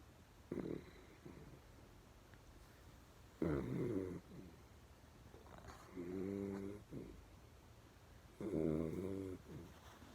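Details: Pet dog asleep indoors with eyes half open, snoring fairly loudly: low, rough, throaty snores of about a second each, recurring every two to three seconds, some with a vibrating, buzzy tone, against a quiet room.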